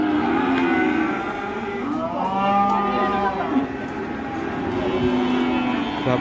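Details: Angry cattle on release, handled by an old man while a trader scolds him; a loud, harmonic-rich moo that swells and falls over about a second and a half, then quieter lowing amid crowd noise.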